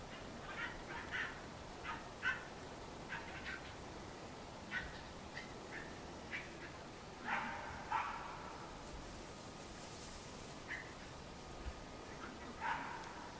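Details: Cairn Terrier puppies at a breeding kennel in Escaudes, France: faint, short high-pitched yaps scattered irregularly, about a dozen over thirteen seconds, against a soft steady background hiss.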